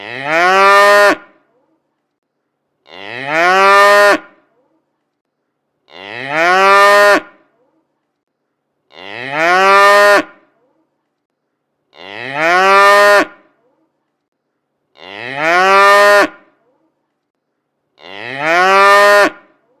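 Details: Tame cows give deep, rising moos about every three seconds, calling their companions home from the pasture in the countryside.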